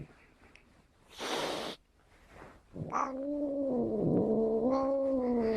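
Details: Angry domestic cat giving a low, drawn-out wavering yowl that holds steady and sways in pitch from the third second to the end, after a short hissing burst; a few faint knocks in the background.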